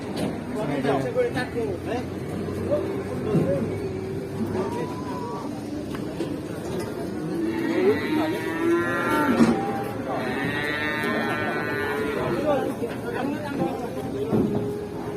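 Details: Pitied cow whose keeper wishes it lasting health, bellowing two loud, strained moos around eight and ten seconds in, each rich in harmonics and tailing off, amid people talking, laughter and background noise.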